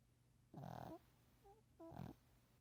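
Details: A Shih Tzu, fallen asleep, snores in two rough, rattling breaths with a faint whistle between them.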